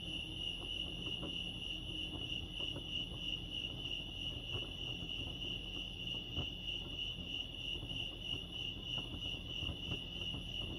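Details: At Lake Arrowhead, California, crickets fill the night-like calm with a ceaseless piercing trill of rapid pulses, the chorus steady throughout above a quiet low hum and occasional faint clicks.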